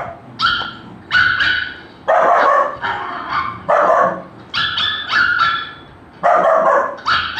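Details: A Golden Retriever puppy, reacting to the sound of barking, gives a run of high, yappy barks in uneven bursts.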